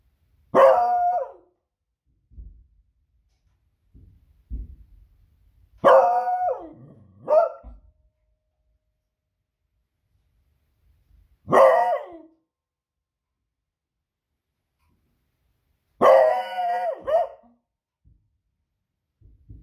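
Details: Smudge the female Beagle barking at loud fireworks one Friday evening, raising the alarm at the unusual noise; four to five loud barks, some doubled, separated by long pauses of several seconds, with faint low booms in between.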